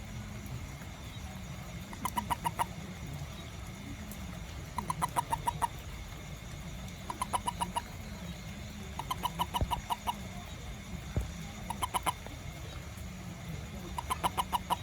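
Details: Toad heard after rain around a home garden while it looks for ants: regular bursts of four to six rapid, clucking pips, recurring every two to three seconds over a low steady hum.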